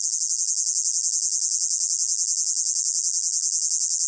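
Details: Crickets calling in a hot summer meadow, blended into a layered ambience: a dense, shrill, high chirring chorus throbbing in quick, even pulses, roughly three to four per second, with no other sounds.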